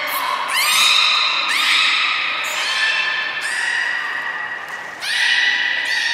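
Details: Captive belugas at Port of Nagoya Public Aquarium, Japan, filmed 3 February 2019 around feeding and play time. Four long, squeaky, harmonic calls, each opening with a sharp rising sweep, about every 1.5 seconds, in a reverberant hall.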